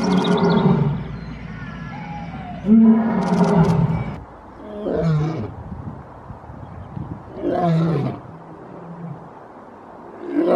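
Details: Lion roaring, its voice used to mark territory and communicate with the pride; deep rough bursts around four and eight seconds, with other loud growling sounds at the start and a short roar at the end.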